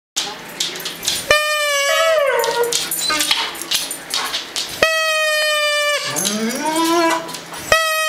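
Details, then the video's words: One-year-old Siberian Husky howling alongside a German Shepherd, both talking back to a whistle: long steady howls broken by sliding, falling wails, two voices overlapping, with short pauses between bouts. "Howling Siberian Husky"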